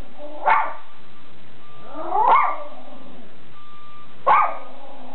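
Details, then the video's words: A house-guarding Schipperke, Captain Jack Sparrow, barks three times, roughly two seconds apart; the middle bark is longer and rougher than the short, punchy first and last. "Schipperke Guarding The House"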